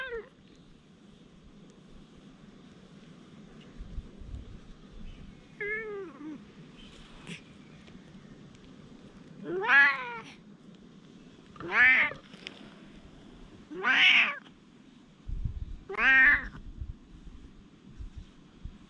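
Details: Feral cats quarreling trade shrill, rising-and-falling caterwauls, four loud squalling bursts about two seconds apart after softer opening mews, over low steady background noise.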